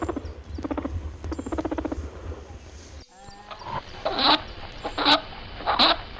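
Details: A happy rabbit gives quick runs of soft, pulsed grunting honks, then a few sharper, breathy bursts.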